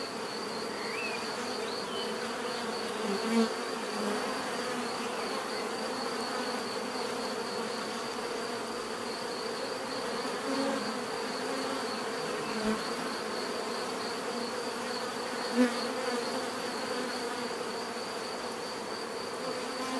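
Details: Natural bee buzzing, a constant layered drone of many insects with a thin high tone on top; a few brief louder buzzes stand out as individuals fly near.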